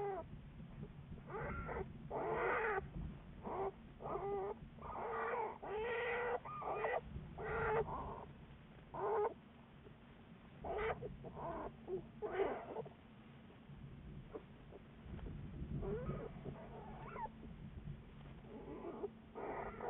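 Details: Black bear Juliet, followed by Wildlife Research Institute biologists, February 10, 2014: a quick run of short, raspy, harmonic cries, some clustered and some spaced, over a steady low background drone.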